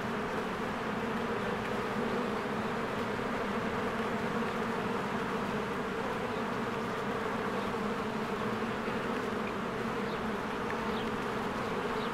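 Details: Honeybees in spring swarming in and out of their hive among blooming flowers: a dense, steady buzzing drone layered from many wings, with faint short bird chirps high above it.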